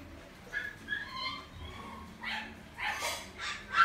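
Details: Shiba dog at the Inu no Ie pet shop, Omi-Hachiman branch, giving thin whining tones in the first second and a half, followed by several sharp, bright barks or yips near the end.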